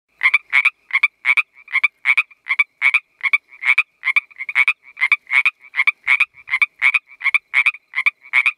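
A Pacific treefrog calls with rapid, raspy two-part croaks repeated in a steady run.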